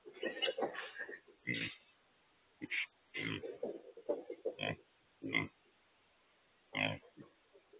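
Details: Feral hogs (wild pigs) caught in a corral trap while being loaded. Short, sharp squeals and rough grunts come in separate bursts, some clustered early and others isolated after a pause of a second or more.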